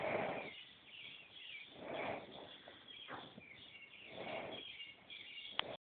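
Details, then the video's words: Snoring cow, slow rhythmic breathing sounds in soft, breathy bursts about every two seconds, with a faint rustling background and a sharp click near the end. "Snoring Cow"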